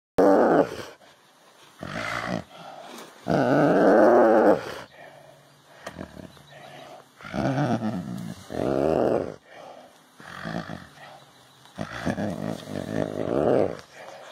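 A snow leopard gives rough, rumbling purrs in short bursts separated by brief pauses.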